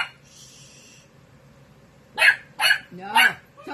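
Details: Thirteen-week-old female Dachshund puppy barking while playing with a kitten; a short stretch of quieter sound, then three sharp, loud barks about half a second apart, with the owner hushing her around them.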